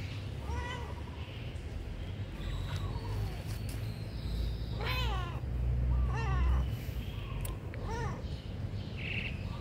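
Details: Pagoda cats JoJo and JeJe, hungry, meow repeatedly: strong, rich, arching cries every second or two, some drawn out and wavering, with a voice speaking softly and a low constant hum behind.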